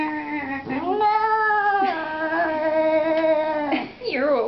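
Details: A talkative pet cat gives a long, drawn-out crying meow, steady and harmonic-rich, holding for about three seconds before bending down, then a short rising-falling meow follows; indoors, with a person speaking nearby.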